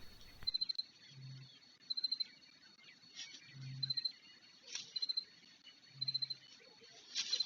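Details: Cricket calling on a short, chilly late-spring night near a white stork nest in a Ukrainian village; short bursts of four or five sharp high pulsed chirps repeating about once a second, with faint low hums between them.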